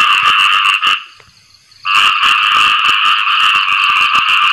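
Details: Khiad i-mo frogs (striped-legged frogs) in a dense chorus calling rapidly for mates after rain, with a brief lull midway.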